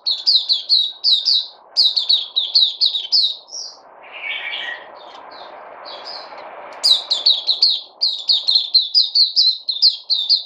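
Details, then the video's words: White-eye (puteh), a supplement-fed kept bird recorded 3 August 2020, pouring out fast repeated high chirps, about two per second, interrupted midway by a lower warbling twitter before the shrill run resumes. "Puteh Crazy"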